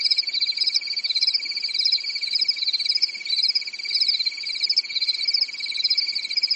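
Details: Summer night in a European forest with crickets chirping steadily; two layered high trills, one evenly pulsed and one warbling, continue without pause, their loudness rising and falling gently.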